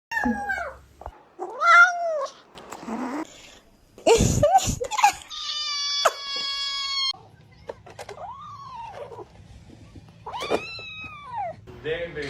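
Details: Cat meowing in a small indoor room, several separate rising-falling meows with some long drawn-out harmonic wails, interspersed with clatter and brief speech, and a low steady hum in the latter half.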